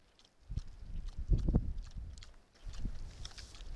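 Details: Wild boar at a feeding site give low, short grunts and snuffles in a cluster around the middle, mixed with trampling and rustling underfoot.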